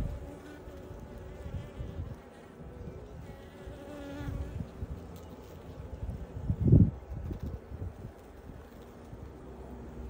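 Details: Honey bees busy at their hive entrance, flying in and out with pollen; continuous low wing hum with one louder close buzz passing near the middle.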